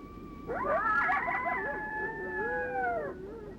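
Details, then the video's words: Two or three coyotes each give lone howls at once, forming a group howl with wavering, overlapping tones rising and falling together; it is believed to mean the same as a lone howl. "Now let's listen to some coyotes making a group howl together."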